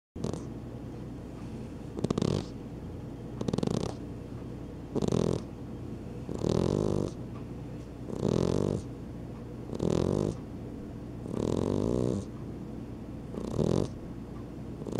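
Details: Two pet cats, an Exotic Shorthair and a Persian, asleep indoors and snoring: broad, breathy snores in regular bursts roughly every one and a half seconds, each lasting about half a second, over a steady low hum.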